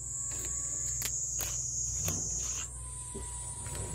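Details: Japanese cicadas: a continuous high shrill buzz that holds steady, then shifts slightly in pitch partway through, with soft rhythmic ticking pulses and faint low background rumble.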